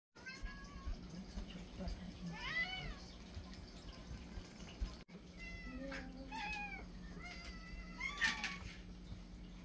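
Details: Several domestic cats in a feeding frenzy while being fed their daily pate, meowing over one another in arched, rising-then-falling cries that cluster around the middle and end, over a steady low indoor hum.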